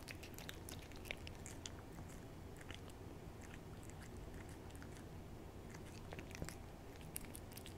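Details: A greedy eater, Hodu the cat, lapping at a Ciao Churu treat: a steady run of faint wet tongue clicks and chewing smacks, closer together in bursts, over a low hum.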